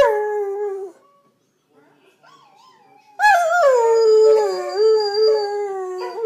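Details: Two greyhounds singing a roo: a sliding howl, then a quiet gap with faint whimpering, then a strong wavering, overlapping howl that bends down and up for the last three seconds.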